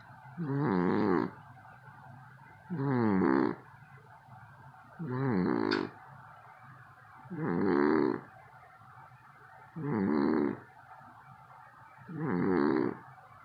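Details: Loud snoring of a cat: six evenly spaced raspy, buzzy snores, each about a second long, repeating roughly every two and a half seconds over a low steady hum.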